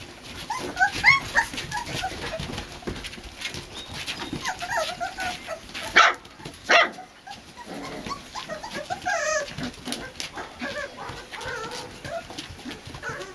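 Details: Boxer puppies, a four-week-old litter in a new daycare pen on a front porch, give many short, high squeaky whimpers that overlap and rise and fall, with scattered clicks and shuffling between.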